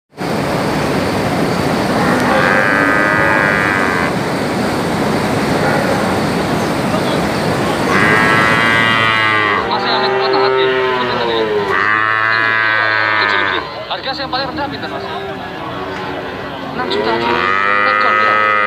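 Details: Brahman and Limousin calves mooing, with a steady broadband roar under the first half, then clearer overlapping long harmonic moos that rise and fall, several callers answering one another.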